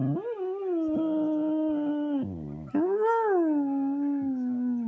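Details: Female Cocker Spaniel howls while watching another dog on screen; long, steady, tonal howl with a brief dip and break near the middle, then a rising swell that slowly sinks and holds to the end.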